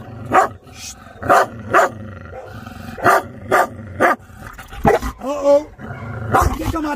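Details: Two-year-old Chow Chow named Maike during a training session, barking in sharp bursts roughly every half second to a second, followed by a whining, wavering tone and more barks, with a person talking.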